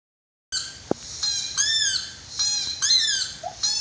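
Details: A five-month-old white Siberian Husky howls in high, wavering, short arched phrases.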